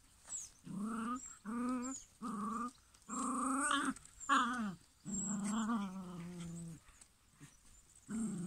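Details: Maremma Sheepdog puppy, six weeks old, producing a run of close, drawn-out growly whines and grumbling cries, each lasting about half a second to over a second, some wavering, with short pauses between; quiet room otherwise.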